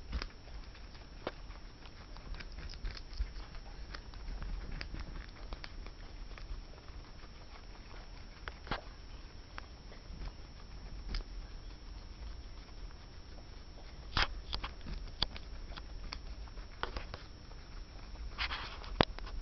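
A guinea pig crunches a carrot, soft irregular clicks and gnawing over a quiet indoor hum.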